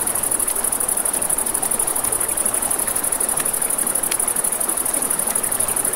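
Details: Nighttime crickets by a riverside campfire keep up an unbroken shrill, rapidly pulsed chirring, while scattered fire pops snap through and the river murmurs low underneath.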